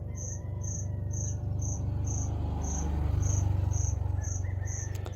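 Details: Cricket hiding inside a shop, calling without pause on a September 2025 morning as a puppy listens: high pulsed chirps about two per second ride above a strong, throbbing low-pitched hum.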